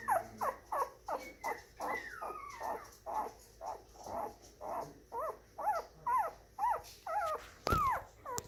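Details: Moyen poodle puppy, black and white parti colour, born January 2019, making repeated high whines about twice a second, some with a wavering, bending pitch, and one longer drawn-out whine near the start, plus a sharp click near the end.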